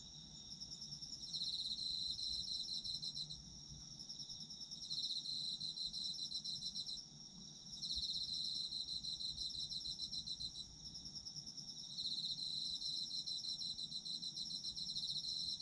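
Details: Autumn insects trilling in bursts: bright, high pulsed chirping that swells for a few seconds, drops off briefly, then returns, repeating in waves over quiet low ambient noise.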